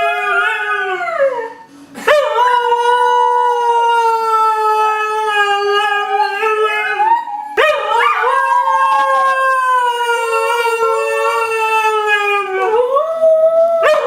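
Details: A Siberian Husky puppy howls in drawn-out, tonal phrases: brief falling notes, then two long level howls starting with sharp upward swoops, separated by a short pause, ending on another rising note.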